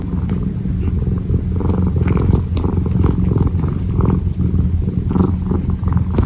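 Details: Kitten purring while kneading, close-up ASMR: a steady low rumbling purr with fine regular pulses, continuous through the clip, with soft rustling touches above it.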